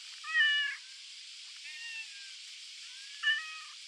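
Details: Cat on an island, meowing three times: two loud, drawn-out, slightly wavering meows at the start and end, with a softer, shorter meow between them, over a steady background hiss.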